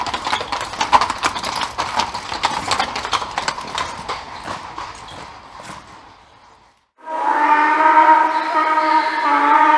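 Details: Horse heard first as a run of rapid hoof clip-clops that fade out over about six seconds, then after a brief silence a loud, sustained harmonic call with steady stacked tones lasting about three seconds.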